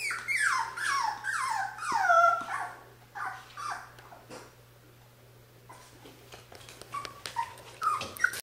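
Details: Mocha, a Cocker Spaniel puppy, lets out a quick burst of high, falling whine-yelps over the opening seconds, then quieter scattered squeaks and clicks over a steady low electrical hum.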